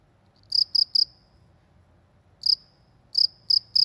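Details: Cricket in the countryside, chirping in short bursts of three pulses, a pause of over a second, then further groups of two to three chirps, over a faint low rural hum.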